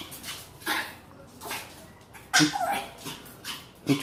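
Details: Female house dog making her annoying reaction noise at a strange sound; scattered whining yelps, roughly one every second, some rising into a squeal, with quiet room noise between.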